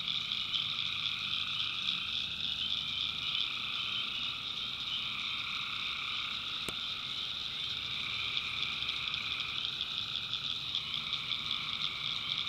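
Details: Dense nocturnal chorus of tree frogs in the North Carolina backwoods, a thick unbroken layering of high trills and nasal tones, with a single sharp click partway through.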